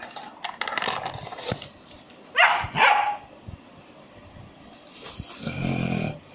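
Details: German Shepherd puppy giving two sharp, loud barks in quick succession midway, with shuffling and handling noise before them and a low murmuring voice near the end.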